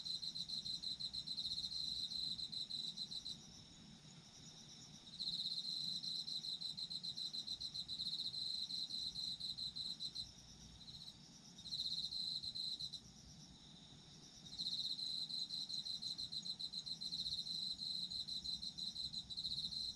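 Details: Autumn insects sing in a layered chorus, one rapid pulsing trill coming and going in multi-second bursts with brief breaks, above a continuous high insect drone.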